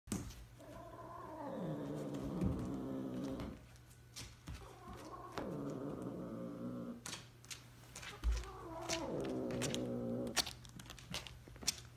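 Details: An African serval mating with an F3 Savannah cat it grew up with gives long, wavering, harmonic yowls that slide downward.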